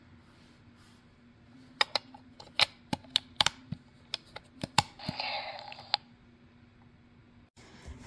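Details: Sharp clicks and taps in an irregular series, like buttons being pressed indoors, with a short burst of noise midway and a low hum underneath.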